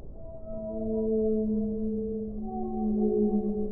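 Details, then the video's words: Whale song: long, steady tonal moans stacked in several even harmonic bands, holding level for seconds and sliding slightly lower near the end, with a soft muffled underwater hiss beneath. "1 ora di suono delle balene"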